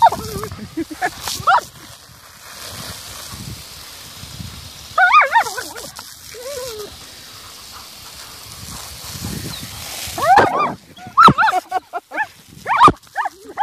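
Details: German Shepherd pair, Galypse and a big puppy, at play with a garden water jet: wavering high whines and excited yelps in clusters, separated by stretches of spray hiss and quiet.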